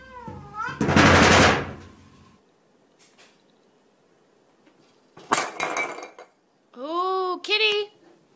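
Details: Cats meowing in a playful trolling scene: a loud harmonic meow opens, then a burst of noisy sound, a pause, and two rising-falling wavering meows near the end.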